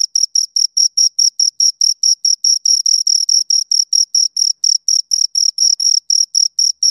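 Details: Pair of crickets heard at close range: rapid, regular high-pitched chirps repeating several times a second, bright and rhythmic, occasionally doubling where the two insects overlap, against complete silence.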